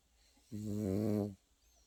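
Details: Pekingese puppy asleep indoors, snoring: one drawn-out, buzzy, low snore lasting under a second, steady and rich in overtones, set against a quiet room hiss.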